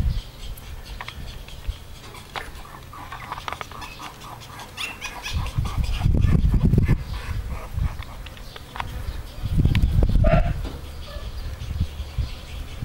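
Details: Blue and tan male French bulldog puppies, born 14 June 2018, in Romania: low, breathy snuffling and grunting in two louder spells around six to seven and ten seconds, softer huffing between.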